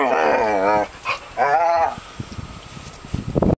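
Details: Whippet vocalizing to its owners that it is time to go to the dog park: drawn-out, wavering whine-howls with rich harmonics, two long bursts and a short one, then quieter shuffling and soft noises.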